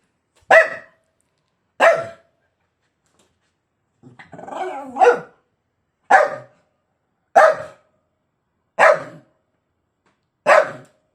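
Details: A dog barking at its bone indoors: single sharp barks spaced about one to two seconds apart, with a longer growly, grumbling bark-whine in the middle, seven barks in all.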